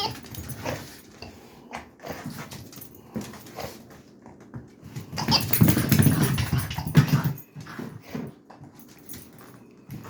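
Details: Frustrated pet Dachshund working at a squeaker toy in a small room: scattered low grumbles and chewing clicks, then a sustained rough growl swelling from about five to seven and a half seconds before fading back to rustling.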